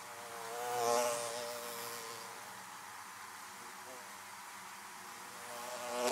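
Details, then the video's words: Bees around beehives give a continuous buzzing drone. One bee passes close and loud at about one second, then a steady background hum follows. Another bee approaches at the very end. "Bees buzzing around Beehives"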